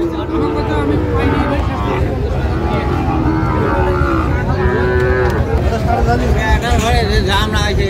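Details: Sahiwal bull calves for sale to Dhaka farmers at a market in Bangladesh, 28 February 2025: several overlapping moos, one long level call about two-thirds through, mixed with men haggling over prices and general market noise.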